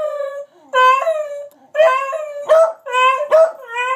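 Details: Howling and yelping from two dogs, Moe and Slim, doing a trick. Wavering tonal wails rise and fall with small breaks, then several quick, choppy cries run close together.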